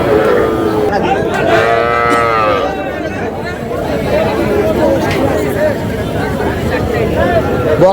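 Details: Young bull and heifer calves at Ambari cattle market, Dinajpur, Bangladesh, on 24 July: one drawn-out moo about a second long rises above a constant roar of crowd chatter and market noise.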